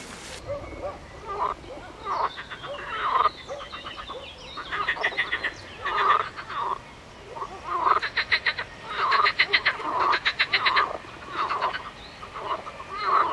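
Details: Dense frog chorus: many frogs overlapping, mixing fast clicking rattles with lower nasal croaks, bursts coming almost continuously, loudest in the second half.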